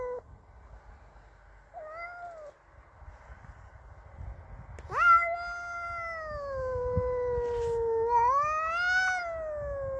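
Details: Angry at an intruding neighbour's cat, Cassey produces a short whine, then a sharp-onset drawn-out caterwaul that dips and swells again into a rising howl, over faint low background rumble.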